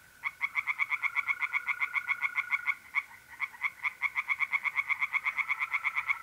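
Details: Tree frogs calling from a pond on an April night in North-East Italy: a steady stream of sharp, rapid croaks with one short break midway, and mole crickets trilling softly and continuously beneath.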